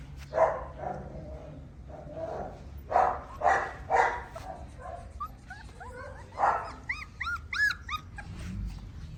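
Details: Tibetan Mastiff puppies: several loud, rough barks in the first half, then a run of quick, high-pitched whimpering yelps that arch up and down. A low background rumble persists throughout.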